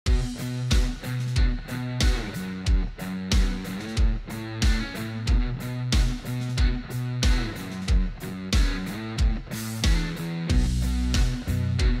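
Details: Driving rock music with heavy guitar and steady drum beats fills the whole stretch, with no animal voice audible.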